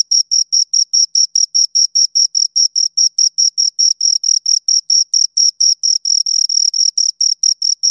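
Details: Chirping of two crickets: rapid, evenly spaced shrill pulses, a few running together near the end, high and thin with a faint second band above; otherwise silent.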